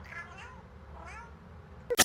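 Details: A fat house cat, asked if it is hungry, meows twice: two wavering, arched cries about a second apart, each rising then falling, ending in a loud bump.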